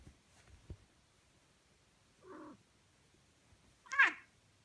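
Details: Cat fight: a short mid-pitched wail, then a loud, harsh yowl that sweeps downward, over a quiet background with a few soft thumps.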